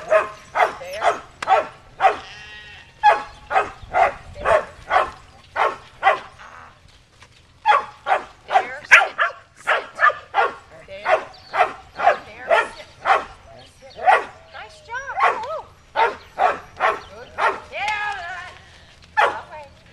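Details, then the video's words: Shetland Sheepdog Cammie herding sheep at Performance Dogs in Action near Sacramento, California, July 2010: long run of rapid, evenly spaced barks about two per second, a short pause midway, bleating sheep calls curling in between. "Sheltie Herding Sheep"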